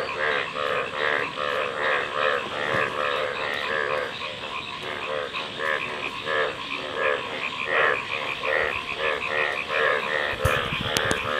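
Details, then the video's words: Several frogs croaking in an uneven chorus of short, rasping, harmonic notes, overlapping and pulsing about once or twice a second; a few sharp clicks near the end. "Frog Calls | ব্যাঙের ডাক"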